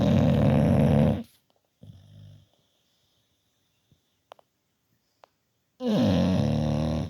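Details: A bulldog lying fast asleep next to another dog, snoring again: two loud, rasping, rumbling snores about a second long each, with a quiet gap of several seconds between them that holds a softer breath and a few faint clicks.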